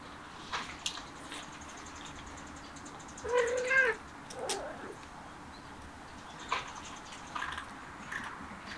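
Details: A cat eating grass gives a short tonal meow that rises slightly and then falls, lasting about half a second, followed by a softer, lower second call. Faint clicks and rustling of grass run through the quiet background.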